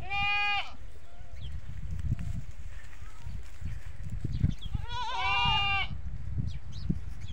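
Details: Goat bleating on a goat farm, a call that brings the kids to the goats. Two clear, trembling, nasal bleats, one at the start and one near the end, separated by quiet farm background.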